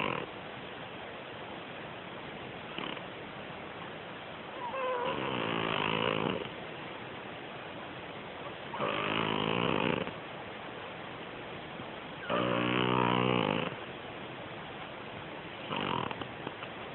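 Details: Sleepy domestic cat snoring loudly, with rough, buzzing breaths of about one to one and a half seconds returning every three to four seconds, each with a grating, harmonic-rich rattle, over a steady hiss.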